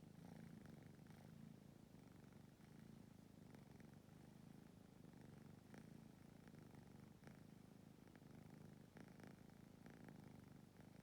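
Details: Stray cats and kittens of one family sleep packed together in a cramped spot; a steady low rumbling purr runs throughout, with soft rhythmic pulses and occasional faint clicks and rustles.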